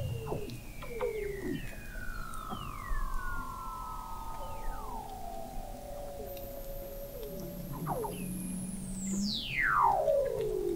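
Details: Several Weddell seals calling under Antarctic sea ice in McMurdo Sound, November 2017, from an observatory 21 m below the ice: overlapping long gliding whistles, short chirps, and a very high whistle sweeping steeply down near the end.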